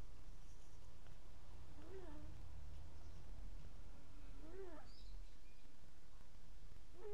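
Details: Sleeping domestic cat snoring: squeaky, tonal breath sounds that rise then fall, three in about seven seconds, spaced roughly two and a half seconds apart, over a low steady room hum.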